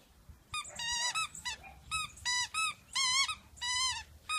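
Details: Playful miniature dachshund indoors, giving high, squeaky yelps in quick uneven bursts, some rising then falling, about a dozen over four seconds, with a quiet room background.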